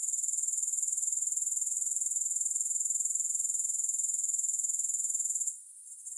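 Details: Grasshoppers give a constant, very high rapidly pulsed trill, then fall quieter for the final second before starting to pick up again; no music.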